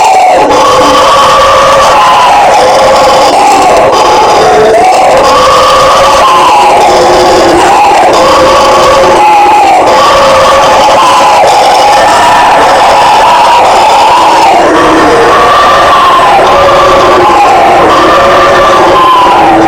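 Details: Guariba or bugio howler monkeys roaring together: a powerful, unbroken wall of gravelly, overlapping voices pulses up and down in pitch in repeated swells throughout twenty seconds.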